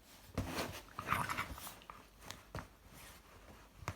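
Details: A Shiba Inu puppy lets out a short, throaty burp, followed by a few soft grunting sounds.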